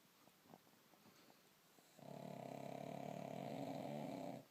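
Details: Bonya the pug snoring like a man: faint clicks and shuffles, then one long rasping snore of about two and a half seconds, buzzy and finely pulsed, in a quiet small room.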